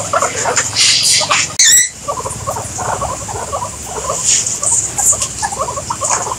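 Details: A sharp click or knock breaks in early, then guinea pigs go on with a run of short, fairly quiet squeaking pulses, set against constant high hiss.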